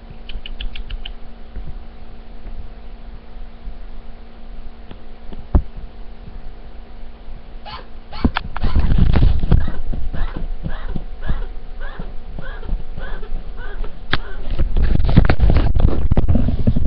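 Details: A male pet chinchilla under a dresser gives a quick run of short, hiccup-like squeaks, about four each second, continuing for around 20 minutes; the owner guesses a mating call but is unsure.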